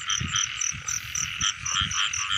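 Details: Rain-season frog chorus heard during a frog-catching outing: rhythmic, clipped high croaks pulsing several times per second in layered voices, backed by continuous ringing calls and low knocking handling sounds.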